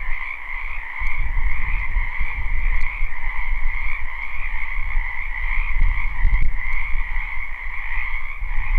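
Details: Spring wetland frogs in a live, unlooped recording form a continuous, steady chorus of overlapping croaks, partly masked by heavy low rumbling and occasional soft knocks.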